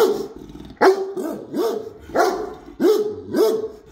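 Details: Great Dane barking as if guarding the house; deep, booming barks in a steady series, about six in four seconds, each with a sharp onset and a falling tail.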